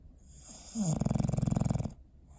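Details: Bowser, a dog fast asleep on December 21, 2019, lets out one fluttering snore: a brief rising snort, then about a second of rapid rattling vibration, with a soft airy hiss over it.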